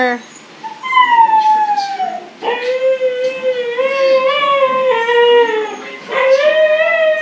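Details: Siberian Husky howling indoors, several drawn-out tonal wails, the first sliding downward, later ones level and sustained with rising restarts, while a woman talks to the dogs nearby.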